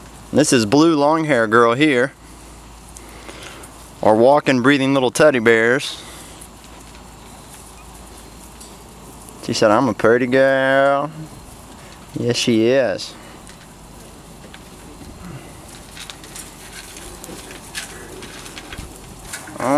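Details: Litter puppies, Weimaraner crossed with Vizsla, aged three to four weeks, giving four separate bursts of wavering, trembling whines spaced several seconds apart, with quiet rustling between them.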